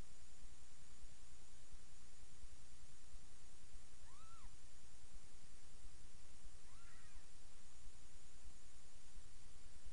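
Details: Mewing from a litter of seven kittens, about three days old, as their mother Miss Kitty feeds them in a new bed. Two thin, arched cries come about three seconds apart over constant low hiss, with no other voices.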